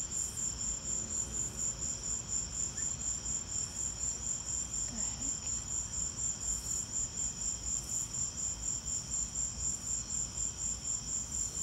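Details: Crickets calling through a lightning storm, a persistent high-pitched chirping pulsed roughly twice per second, steady and regular, with low rumbling background noise and a few faint brief sounds.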